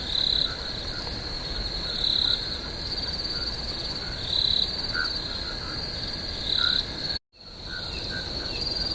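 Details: High continuous cricket trilling from a swamp at night, swelling every two seconds or so, with faint lower chirps and a brief moment of silence partway through.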